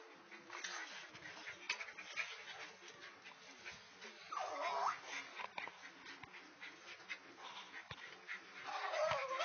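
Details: A Great Dane gives short, high whines and yips against a steady rustling background, apparently while being harassed by another animal.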